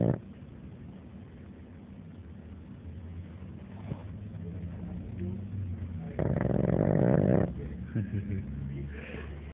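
A Boston Terrier snores with low, rough rumbles, one louder grating snore standing out midway.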